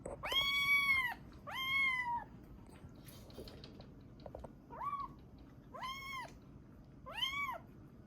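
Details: Young rescued kitten, about three to seven weeks old, crying in sweet, sleepy or hungry tones: five clear arched meows, the first two long and loud, later ones shorter and softer, spaced about one to two seconds apart, in a quiet room.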